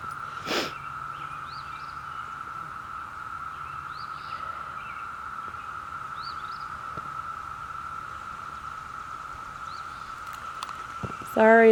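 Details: Brood V cicada chorus recorded in Ohio in June 2016: a steady, unbroken droning whine holds at one pitch throughout, with a few faint high chirps above it and a burst of handling noise at the very end.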